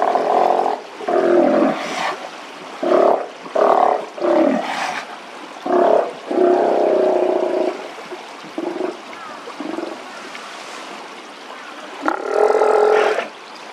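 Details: A Steller sea lion in the evening gives a series of deep, moaning, roar-like calls in short bursts.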